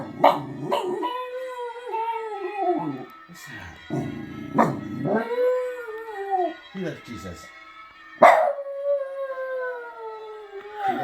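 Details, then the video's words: Dog singing to church bells, giving several drawn-out, wavering howls that slide downward. A woman repeatedly talks to it and urges it to sing, and her voice overlaps the howls. "Dog singing to church bells"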